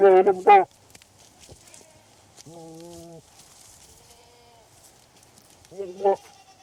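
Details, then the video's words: Goats, male and female, calling during their mating ritual in the breeding season: a loud wavering bleat at the start, a steady even-toned bleat near the middle, and a shorter bleat at the end, with quiet rural background between. "Goats Mating Sound Effect"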